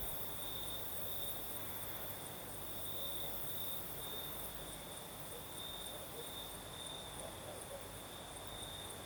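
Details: Crickets singing at night in southern Crimea during a night breeze: a steady, unbroken high-pitched trill with a fainter, even higher ringing tone above it, over a constant soft hiss of breeze.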